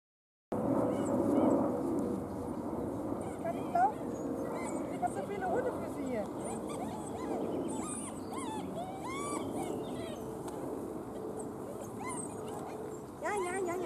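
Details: Weimaraner puppies from Gloria's litter, recovering from juvenile cellulitis and hungry, feeding and playing: a dense run of high, overlapping whines and squeaks, many rising then falling, with a human voice and steady background noise.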